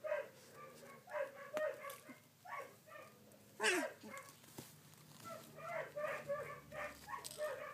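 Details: Collie pups at sixteen days old, recorded 3 June 2013, utter uneven bursts of high, whiny squeals, paused now and then, with one loud, strained cry about halfway through.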